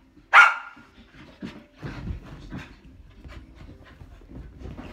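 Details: Seven-month-old Samoyed puppy during a bout of zoomies gives one sharp, loud bark at the start, followed by panting, scuffling and a woman talking.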